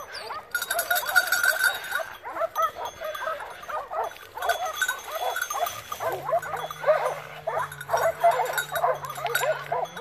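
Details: Wild boar drive in November 2017 near Poggio San Lorenzo, Rieti, Italy, with a pack of Segugio Maremmano hounds: packed, overlapping barking and baying throughout, joined in the second half by a steady low droning tone.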